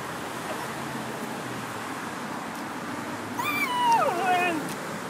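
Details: Foxy, a spitz-chow, whining after spotting a squirrel in a tree on a morning walk; quiet outdoor background, then a burst of high, thin, descending whimpers with a wavering pitch in the last second and a half.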